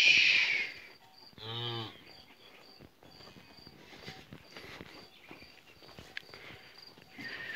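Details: Calves kept in a yard at their new place during hot weather give a short, deep moo of about half a second, low and rich in harmonics. Steady insect chirping runs throughout, and a loud rushing burst comes just before the moo.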